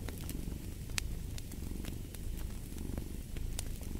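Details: Low, rough cat purr, rising and falling with each breath, mixed with scattered sharp crackles of a fireplace burning nearby.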